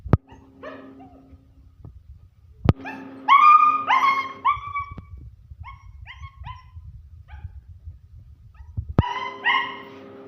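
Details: German Shepherd puppies giving high-pitched, whining yelps in short bursts, some rising then falling, with a sharp click at the start and a low rumbling background between bursts.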